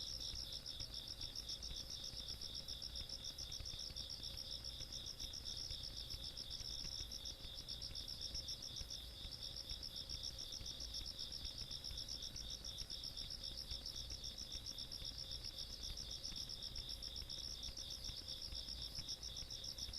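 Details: Insects singing through a countryside night, dated 17 August 2022: an unbroken wall of high, piercing pulsed trills from many callers, even in loudness for the whole stretch, with a faint low hum.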